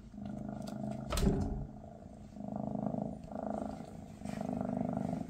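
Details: {'caption': "Purring Maine Coon from Mama Freya's family as her kittens prepare to leave for new homes. A sharp knock or rustle early on, then steady low rumbling purr phases rising and falling roughly every second."}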